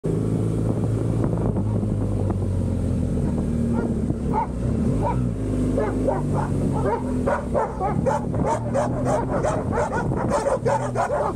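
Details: A pack of dogs chasing a motorcycle in the United States; a steady low engine drone runs throughout, with sharp, overlapping barks from several dogs starting around four seconds and growing rapid and dense toward the end.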